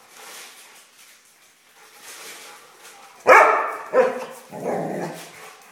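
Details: A dog at play with a mouse barks three times in quick succession: a sharp opening bark, a shorter second, then a lower, rougher one, with soft rustling before.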